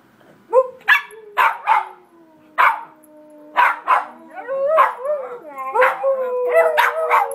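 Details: Four Beagles in a spontaneous group song, mixing sharp bays and barks with sliding overlapping howls that build into a continuous chorus over seven seconds.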